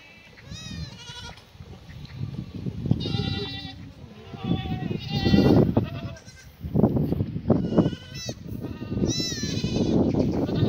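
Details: Black goats crowd together at morning feeding on a free-range farm near Muchuksan, Gimhae, South Korea, 28 May 2019; loud, repeated wavering bleats from several animals over heavy shuffling and munching noise.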